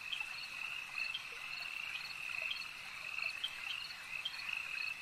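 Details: Lakeside frog chorus, many callers overlapping in a continuous high trill, with sharper accented notes popping out about every half second over a faint background hiss.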